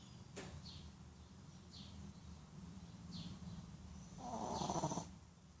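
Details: A male Shih Tzu sleeping after a tiring day that included a haircut snores steadily with a low, grumbling rattle. Near the end a louder, breathier snort briefly rises above the rumble before it settles back.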